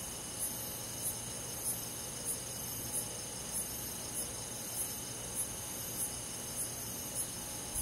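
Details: Summer-night cricket: bright, short high chirps repeated steadily about every 0.6 seconds, a dozen in a row, above a constant buzzing insect drone in the background.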